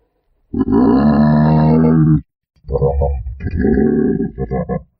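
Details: Giraffe giving a drawn-out, low, droning moan of about one and a half seconds, then a pause and a series of broken, throaty grunting pulses.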